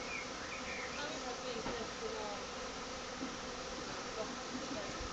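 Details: Swarm of Western honey bees, possibly feral and not the keeper's own, settled into an empty box in a garden on a warm day; a dense, steady buzzing drone runs throughout with no breaks.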